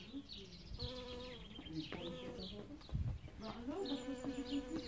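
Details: Early-spring bee working flowers for pollen: a low hum that starts, stops and returns in bursts, with a soft thump near the middle and bright bird chirps overhead.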